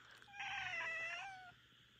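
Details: A Minuet cat named Rika makes a complaint at night: a single clear meow lasting just over a second, bright and rich in harmonics, holding steady then sliding gently down at the end, over a faint low electrical hum.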